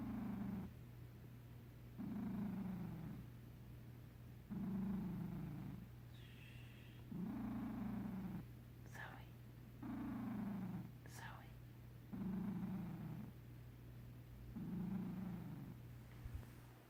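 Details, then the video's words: Sleeping house cat Zoe purr snoring: low rumbling purr bursts swell on each breath, recurring about every two seconds in an even rhythm, with a couple of faint higher clicks between them. "Zoe purr snoring."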